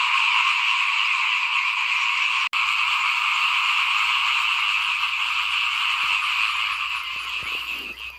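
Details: Small frogs calling in front of a house at rice-sowing time in 2021: a dense, unbroken chorus of high trilling croaks layered into steady bands, with a brief click near the start and a slight fade at the end.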